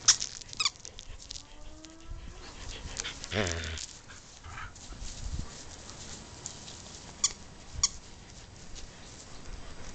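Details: Pet dogs Cody and Dylan at play, Cody barking as he plays: one harsh harmonic bark-like burst near the middle amid clicks and scuffling, with a few thin squeaky whines early on.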